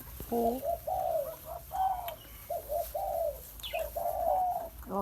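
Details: Thai Bangkaew puppies of Baitong crowding to feed from a large milk bottle; a steady run of nasal whines, each note level or gently dropping, repeated roughly every half second, with faint handling noise.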